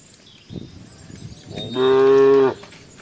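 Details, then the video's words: Tame cow in Embooh village giving one steady, strong moo lasting under a second, preceded by soft rustling and shuffling sounds. "The Sound of the Embooh Village Cow"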